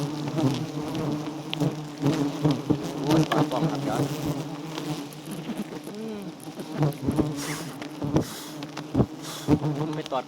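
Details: Wild giant honey bees swarming at a small honey-rich nest in Thailand while honeycomb is harvested. Bees sting at the camera. Dense, steady low humming drone with sharp clicks and knocks, plus brief bits of a man's voice.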